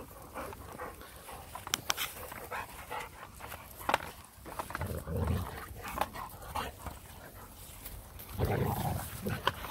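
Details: Boxer dog attacking its owner's hand in play, with soft panting, snuffling and scattered thumps and rustles, a few short low grumbles near the end; quiet outdoor background.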